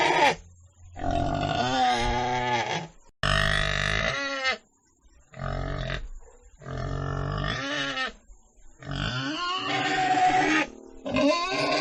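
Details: Pig giving rough grunting bursts that rise into wavering squeals, several calls of about one to two seconds separated by brief pauses.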